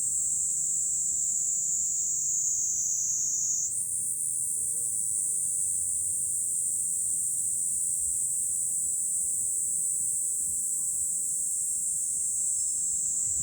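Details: High on a hill overlooking Fukuoka city, Japan, in July, a cicada chorus rings as a sustained shrill buzz that jumps slightly higher after a few seconds and then holds level, over faint low background noise.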